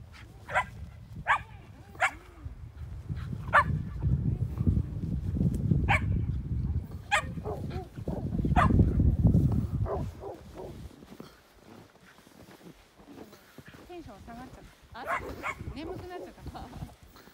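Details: Shetland Sheepdog at a lakeside dog run at Angel Forest Nasu Shirakawa, Japan: sharp, short barks every second or so over a low rumbling background, then a quieter stretch with softer, higher whining sounds near the end.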